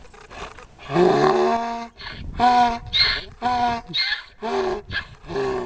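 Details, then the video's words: Donkey in a Cherokee, North Carolina field braying as someone comes up to the fence: a loud, drawn-out honk followed by a series of shorter rasping, harmonic bursts, about one every half second. "Braying Donkey"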